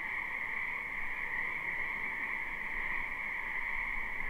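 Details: Many frogs croaking in a spring wetland behind a house, recorded live without looping: a dense, unbroken chorus of overlapping trills at two steady pitches, with low rumbling background noise.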